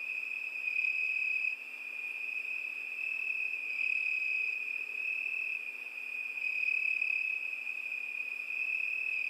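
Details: On a summer night crickets keep up a constant high, ringing trill at one pitch, with small swells in loudness and a faint higher overtone over a quiet background.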